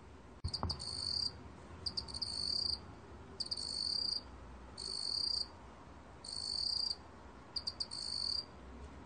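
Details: Song of a black cricket, recorded 2020: six shrill, metallic trill phrases about a second each, spaced by brief pauses, some starting with stuttered pulses; a single sharp click near the start.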